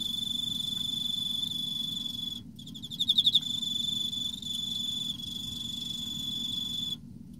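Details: Emma field cricket calling in autumn: a loud steady high trill, a short silence, then a vivid burst of rapid chirps before the ringing tone resumes and cuts off near the end.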